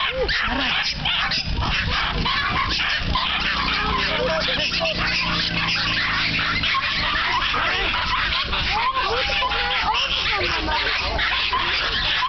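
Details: Crowd of excited Norfolk Terriers at a Dutch club's annual racing meeting, eager to get racing: continuous overlapping yips, barks and whimpers over steady background chatter of people.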